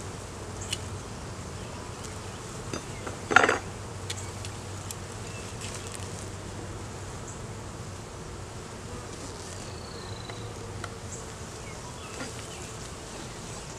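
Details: Low continuous drone of honey bees at a hive being inspected in the beeyard, with a sharp clank of equipment near the middle and a few light taps; filmed on a Canon Rebel T6 DSLR, no talking.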